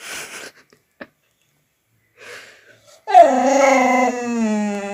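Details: Dog making strange noises indoors: a drawn-out, harmonically rich moaning whine that starts abruptly, dips slightly and holds steady for two seconds, preceded by faint rustles and a brief murmur.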